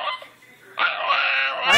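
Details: Dog named Miki talking back indoors, a short harmonic whine followed by a longer rising, warbling yowl with stacked tones, the owner coaxing it to talk in a small room.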